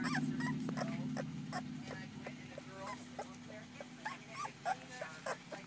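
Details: Two-week-old puppies born in July, a litter, making repeated soft high whimpers and squeaks, several short rising cries over a steady low hum, with quiet human voices nearby.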